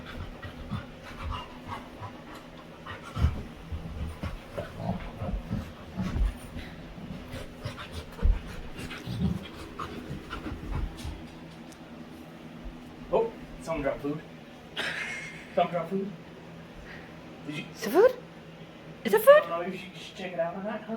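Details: A female Labrador named Winry plays with her owner, panting steadily in soft breathy pulses, then shifting to a series of high, sliding whines and squeaky vocal sounds during the second half.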